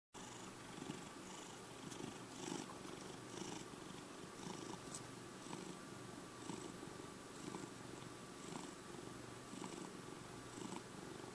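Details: Checkers, a lovable five-year-old pet cat, purring steadily indoors: a continuous low rumble with soft pulses roughly twice a second, a faint steady electrical hum underneath.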